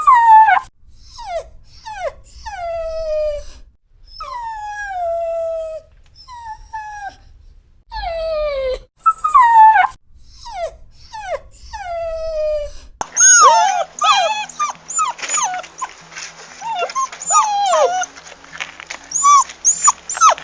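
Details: Puppy crying in a collection of dog crying sounds covering pain, sadness and loneliness: a series of high, falling whines and yelps with short pauses, then a denser stretch of overlapping squeaky whimpers over a faint steady hum.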